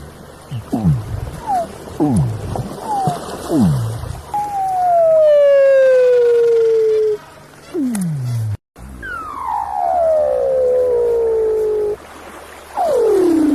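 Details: A sleeping, possibly dreaming Weddell seal gives several short, sharply falling chirps, then long, eerie whistles that glide slowly downward.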